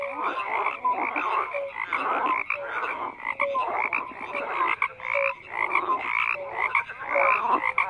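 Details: Many frogs croaking together in a dense, unbroken chorus: overlapping rattling croaks with short whistle-like notes mixed in, rising and falling in waves of loudness every second or so.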